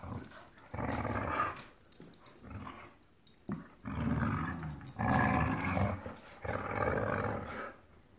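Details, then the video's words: Dogs battling over a rope toy growl in a series of rough, throaty bursts about a second long, coming in waves with brief pauses and faint clicks and scuffs between them. "Vicious Dogs Fighting Over Rope Toy"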